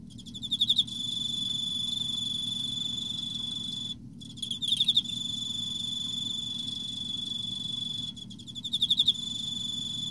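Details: Emma field cricket in autumn giving three high, pulsed chirps about four seconds apart, each a short burst of quick clicks growing louder, above a constant thin high tone.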